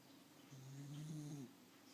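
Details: A sleeping pet dog snores once, a low, steady droning breath lasting about a second, in a quiet room.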